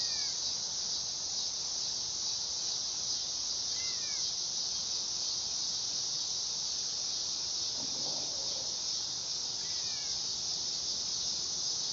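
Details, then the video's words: Dog-day cicada (Neotibicen canicularis) producing a loud, steady, high-pitched buzzing drone that holds unbroken for the whole stretch, with a few faint, brief chirps in the background. "Cicada sound / call / noise | Dog day"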